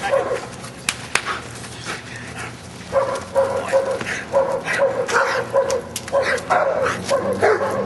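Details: Luther, a Giant Schnauzer, barking during Schutzhund prey-work training on 31 January 2009: short sharp barks repeated about every half second, overlapping a handler's praise and other voices outdoors.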